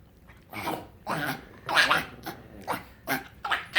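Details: Frank the pug, a pet dog, making strange noises when happy: rough snorting, grunting bursts in about six uneven pulses, breathy and noisy with some squeaky edges.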